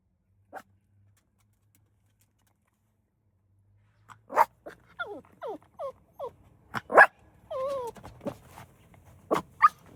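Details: Jealous puppy in a car facing off with another dog over its human: a quiet start, then from four seconds a run of short yelps, whiny wavering whimpers and sharp barks, irregular and rising in intensity.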